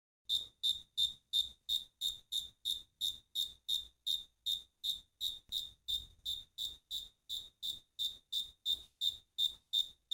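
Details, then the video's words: Crickets singing: clean, high-pitched chirps repeated steadily about three times a second, each a short bright pulse with silent gaps between, against otherwise quiet surroundings. "Grillos cantando."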